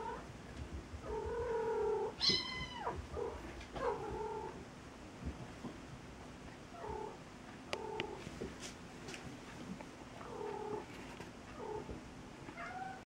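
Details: Cat and a kitten it has befriended: a loud meow at two seconds among several softer, shorter mews scattered through the clip, with quiet gaps between them and a low constant hum.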